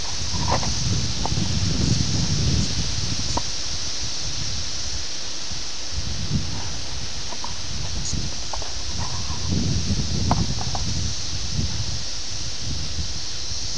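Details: Brood X 17-year periodical cicadas at Ayersville, Ohio, on June 18, 1987, filmed on a VHS camera: a steady high droning chorus runs throughout beneath heavy wind buffeting and rustling leaves.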